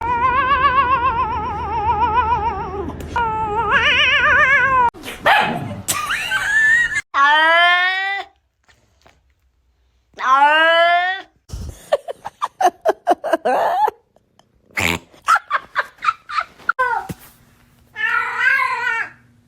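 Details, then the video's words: Pet cat meowing repeatedly in a compilation of cat noises: long wavering harmonic meows, some rising and falling, with short abrupt cuts between segments, bursts of clicking and rustling, and brief human laughter and voices. "Cat noises!!"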